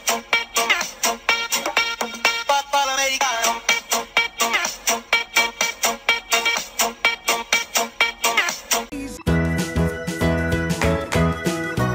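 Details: Upbeat electronic keyboard music with a steady pulsing beat, switching near nine seconds to a denser, brighter section; no animal voices are heard.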